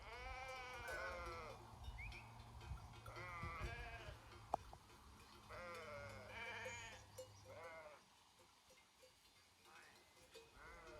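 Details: Grazing herd of sheep in the Făgăraș Mountains, Romania, bleating in overlapping wavering calls, several animals calling in turn, with a low steady hum, a sharp click and faint bell tinkles in the background.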